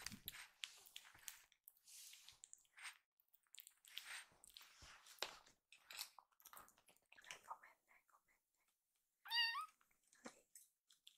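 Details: Two rescued kittens, Hoshi and Iru, take stomach medicine twice daily and struggle hard against it after their meal; mostly scuffling, rustling handling noises, then one loud, wavering, harmonic-rich meow rising and falling near the end.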